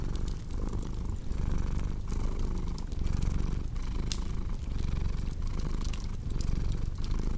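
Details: Low rhythmic cat purring, rising and falling about once a second, mixed with frequent dry pops and crackles from a burning fireplace.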